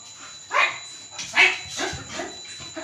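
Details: Labrador Retriever puppy named Lucky, tired after playing with its owner, gives two sharp, loud barks about a second apart, followed by a few softer, shorter yips.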